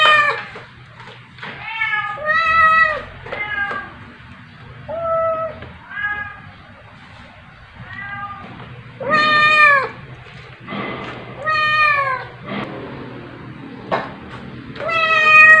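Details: Young calico cat playing and wrestling with her adoptive mother, another cat present, indoors at 2:05 AM on 9 July 2021, phone recording; a series of short and longer harmonic meows, some bent and falling, several seconds apart, over a low hum.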